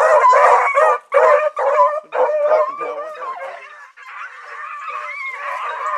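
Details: Blackreek pack of hunting dogs, Choco, Dino, Johnny Ringo and Mingo, just put down for an evening run on 16 August 2014: loud overlapping barks in bursts for four seconds, then fainter drawn-out howling bays.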